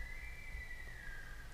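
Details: A distant Sika deer gives a long, thin whistle that holds high and drifts slightly lower, heard during Sika and whitetail hunting season.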